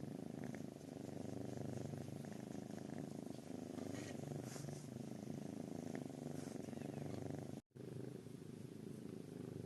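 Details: Snoring, purring kitten giving a steady low throbbing purr that pulses with its breathing, continuous apart from a brief silent gap near the end.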